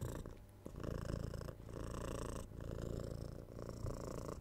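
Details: Domestic cat purring close up indoors, a continuous low rumbling drone with rhythmic breath cycles roughly every second, swelling on each inhale and exhale, with no other sounds.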